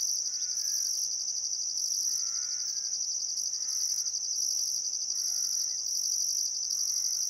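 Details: Still summer sunset beside the Barcoo River in Welford National Park, Outback Queensland: crickets sustain a piercing continuous trill with a pulsing higher band, as a bird calls in short warbled bursts every second or two.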